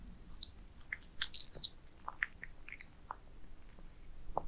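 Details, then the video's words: Cats eating minced meat towers, with brief wet chewing clicks and bites over a steady low hum, quiet and close indoors. "Cats eating minced meat towers asmr"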